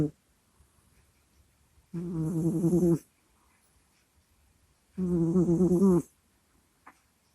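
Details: A cat named Kusya asleep, recorded close to a microphone indoors: two long rasping snore-groans about a second each, three seconds apart, low and strongly harmonic with a breathy hiss on top, quiet snuffles between.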